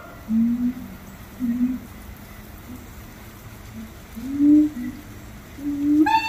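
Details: Monkeys at Little Rock Zoo singing: a handful of low, steady hooted notes spaced irregularly across six seconds, each held briefly, with a sudden brighter harmonic cry breaking in at the very end.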